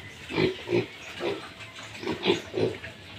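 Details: Farm pigs at a litter of 14 piglets, with a sow reported as sluggish: six short, low, gruff grunts spaced unevenly over about three seconds, each fairly muffled.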